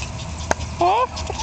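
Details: Jack Russell Terrier puppy about one month old, from a litter born 27 October 2010, lets out a short rising whine with a clear overtone, preceded by a sharp click against steady low room noise.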